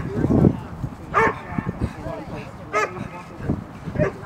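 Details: Eight-month-old female dog River barking during protection work training at a club, progressing to biting a jute wedge. A few sharp barks stand out about every second and a half over a handler's low talk.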